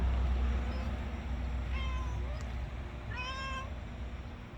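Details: A cat letting out strange sounds out of contentment after a meal: two drawn-out, slightly bending meows about a second apart, over heavy low rumbling background noise.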